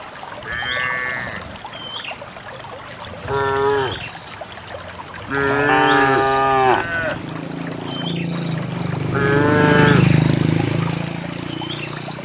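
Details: Dozens of cows walking along wet paths through wild grass toward a green valley on a quiet countryside morning. Four separate lowing moos, some falling at the end, spaced a few seconds apart. A low rumbling background and faint bird chirps are also heard.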